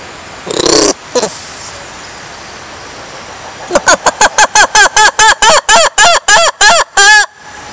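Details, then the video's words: A lemur calling: a few short cries at first, then a quick train of loud, ringing yelps repeated roughly three times a second, each bending up and down in pitch. "Lemurs sounds"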